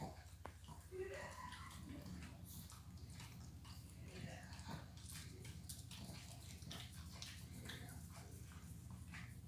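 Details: Mia, a female pet dog nicknamed Garbage Disposal who can never get enough food, 'talks' while begging indoors; short whiny, wavering vocal sounds come early, overlapped by a person speaking and light household clatter.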